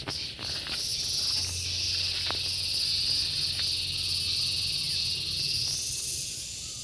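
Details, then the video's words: Intense, sustained shrill drone from a gareng pung cicada, high and rasping with a fast pulsed texture, accompanied by a few soft clicks and a faint low hum underneath. "SPECIAL SOUND IN GARENG PUNG"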